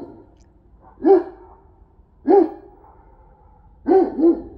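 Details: Central Asian Shepherd dogs playing in snow in Illinois give three deep, short woofing barks roughly every one and a half seconds, the last doubled, with a soft breathy hum between.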